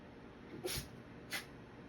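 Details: White Shiba Inu with an itchy nose sneezing repeatedly indoors: two quick, breathy, hissing sneezes about half a second apart over a low steady room hum.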